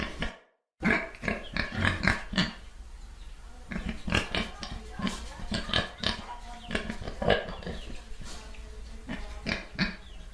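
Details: Pig grunting repeatedly in short, gruff oinks after a cut of silence, a continuous low rumble of background noise behind the irregular bursts.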